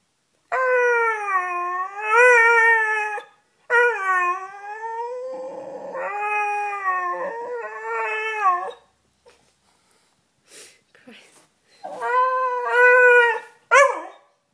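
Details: Pet Beagle Sniffer pleads to come up on the bed with a run of long, wavering, tonal howls in three bouts, each rising then sagging, followed by faint whines and a final loud howl ending in a yelp.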